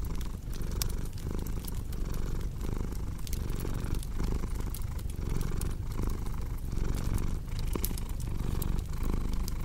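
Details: House cat purring with a deep, buzzing rumble that pulses steadily in breath cycles, while a fireplace crackles and snaps intermittently in the background.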